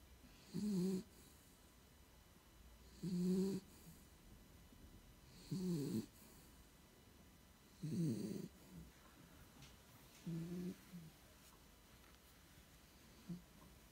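A pit bull snores in deep, rumbling bursts about every two and a half seconds.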